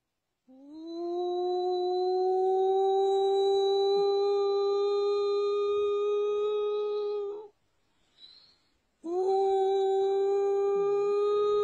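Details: A wolf gives a long, steady, tonal howl that swells up at the start, holds an even pitch for about seven seconds, breaks off briefly, then starts again at the same level.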